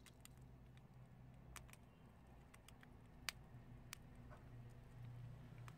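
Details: Prairie dogs eating chickpeas, crunching them: sharp dry clicks and cracks scattered irregularly over a steady low indoor hum.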